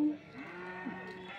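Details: HF and Jersey cattle at a market in Bagalur near Hosur, India, on 13 February 2025; a faint, steady low moo holds one pitch for about a second under quiet background murmur.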